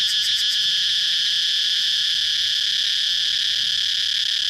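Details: Shrill cicada drone, continuous and even, opening with a brief fast pulsing flutter in its upper tones before settling into a flat, sustained buzz.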